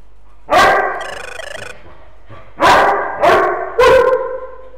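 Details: Old English Sheepdog at play with a small Tibetan Terrier companion, both pet dogs. Four loud, harsh barks: one early, then three in quick succession near the end, with a brief high buzzy tone between them.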